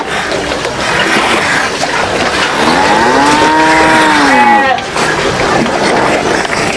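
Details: Livestock cattle scrambling for food; a single drawn-out moo of about two seconds rises, holds and then sinks, heard over constant low rumbling noise.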